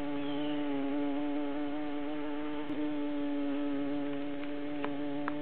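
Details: Queen honey bee in her hive with worker bees crowding around to protect her; continuous even buzzing drone, low and tonal with layered harmonics, a couple of brief knocks late on.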